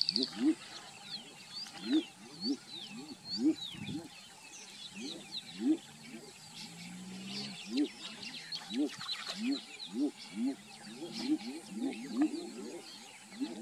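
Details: A few male edible bullfrogs (Pyxicephalus edulis) call and chase one another, giving low, short whooping notes in quick succession that overlap in a chorus.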